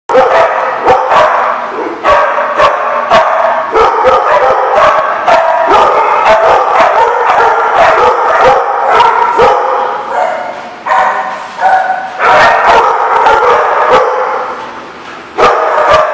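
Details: Many dogs barking together in a busy chorus, with sharp overlapping barks and yips repeated about twice a second, plus a few loud isolated barks.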